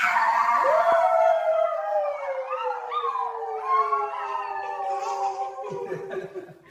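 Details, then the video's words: A husky howling in response to a baby's sound, indoors at home: one long, sustained, slowly falling howl with a quick rise at the start, wavering overtones, and a second voice joining in briefly. "Baby Makes a Sound… Husky Starts Howling"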